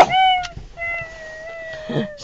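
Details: Pugs inside a car, defending their territory against possible predators, give a steady, level howl that holds for about two seconds after a brief opening note, with soft background noise.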